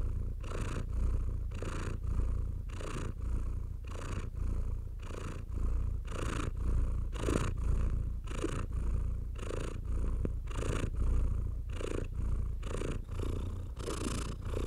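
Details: House cat purring as it is stroked, a constant deep rumble beneath rhythmic rasping strokes of fur heard roughly once a second throughout.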